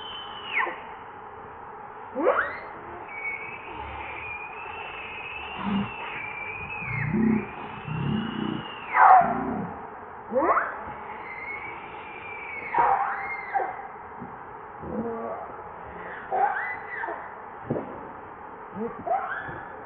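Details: Infant monkey Leo, or Rainbow, begging its mother to nurse: a long run of arching, whining cries that rise and fall, some bending sharply downward, with brief pauses between, over low rustling.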